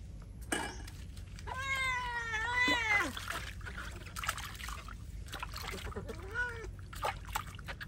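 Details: Feral cat meowing while being bathed: a long, wavering, drawn-out meow that rises and falls, followed by a shorter meow, over steady trickling and pouring water and faint background rustling.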